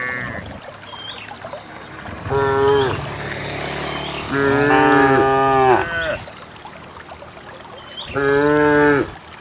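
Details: Cows walking in an orderly line down a green hill to graze in the valley; three moos roughly three seconds apart, the middle one longest and wavering, with bird chirps behind.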